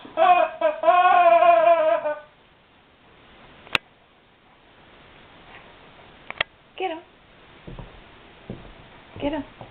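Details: Indoor guard dog puzzled by a squeaky toy gives a wavering, high whine lasting two seconds, then the room goes quiet apart from sharp clicks and a few brief soft whimpers.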